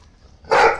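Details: Pit Bull bark during tug of war play among dogs: one short, loud, harmonic bark, bright and sharp, over faint background noise.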